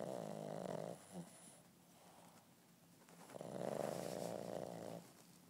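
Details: An 8-month-old Boston terrier puppy napping snores in two long, rasping breaths separated by a quiet exhale.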